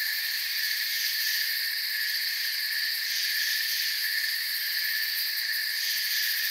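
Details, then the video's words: Steady, high insect chorus of crickets in a forest, several pitched layers of buzzing trill sustained evenly with slight swells in intensity. "Forest Sounds and Crickets"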